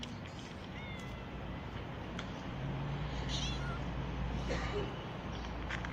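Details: Newly delivered mother cat living on the street meows several times, short thin rising-then-falling cries spaced a few seconds apart. A person is about to feed her, over constant low urban rumble and scattered clicks.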